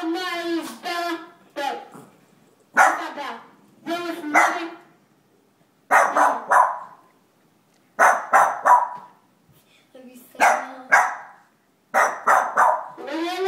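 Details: Two Boston Terriers, afraid of Santa, give short harmonic barks, single or in quick pairs, roughly every one to two seconds, separated by brief silences.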